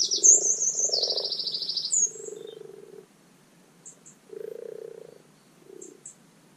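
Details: Common frogs in a garden wildlife pond giving their spring spawning call: soft, low purring croaks in overlapping bursts, while a bird's high, rapid whistled song dominates the first two seconds and brief high chirps follow later.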